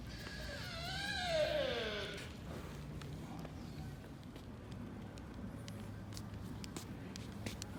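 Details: Sika deer fawn named Minami-chan at Nara Park, Japan, near Tōdai-ji's Nandaimon gate, giving one drawn-out, nasal bleat that slides downward for about a second and a half, then faint footsteps and outdoor background noise.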